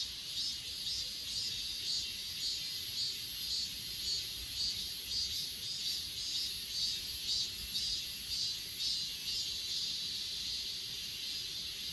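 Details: Grass insects on Achasan, recorded with an S20 Ultra: a dense, high shimmering chorus with soft pulses repeating about twice a second over a steady hiss, with no other clear sounds.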